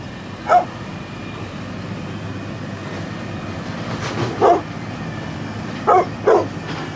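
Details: A brindle pit bull, 9.5 years old, gives four short barks: a single bark, then a pause of several seconds, then three more, the last two close together, over a steady low rumble.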